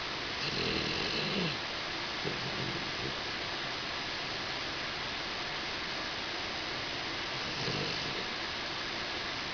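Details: Tobias, a four-month-old Husky, asleep and snuggled against a swivel chair leg, snoring nasally: three rough, breathy snores, near the start, around two seconds and near the end, over a steady background hiss.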